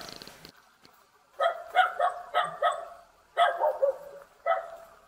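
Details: A young Jindo dog, met in a Korean mountain village near Jeonju, yaps repeatedly: quick series of bright, high puppy barks in two groups, preceded by a brief noisy rustle.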